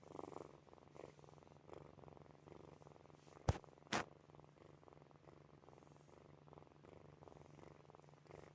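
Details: Drowsy rhythmic purr from sleeping kittens Snowy, Furry and Zoe, low vibrating pulses in breath-length swells, interrupted by two sharp knocks around three and a half and four seconds.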